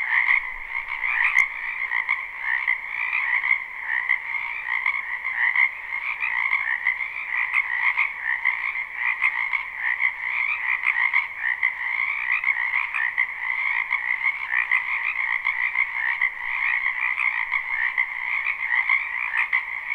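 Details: Dozens of frogs calling together in a spring wetland, recorded live without looping. Steady, pulsing trills stack into a thick, even chorus that never drops out over twenty seconds, with one brief click near the start.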